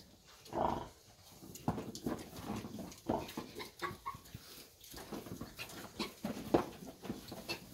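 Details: Thirty-day-old puppies, already eating dry food, give a short tonal whine near the start, followed by scattered yelps amid steady scuffling and chewing noises.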